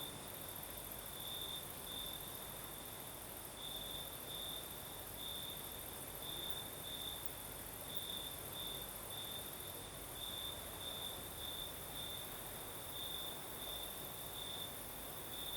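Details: Crimean crickets sing through the southern night as a breeze blows, a steady high-pitched trill rising and falling in loudness in brief pulsing surges, backed by a thin sizzling hiss and faint low murmur.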